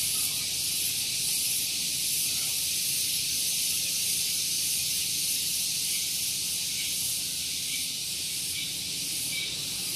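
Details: Morning cicada chorus at Gunung Geulis near Bogor in West Java, Indonesia, very loud: an unbroken piercing high-pitched drone holding an even level for the whole stretch, with only a light low background hum.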